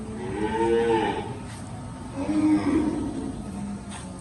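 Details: Cattle on a farm as more than fifty cows are delivered away: two drawn-out, low harmonic moos, the first about half a second long, the second shorter and following a second later, over steady background rumble.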